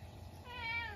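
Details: Munchkin cat at home around midnight on a snowy day when a stink bug wandered inside: one short tonal meow beginning softly and swelling, with steady high harmonics over low background hum.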